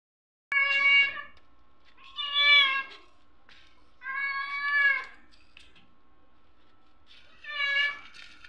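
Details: Hungry orange stray cat, female, at night, meowing loudly at doors to ask for spare food; four long, drawn-out harmonic meows spaced a few seconds apart, with a faint steady hum behind.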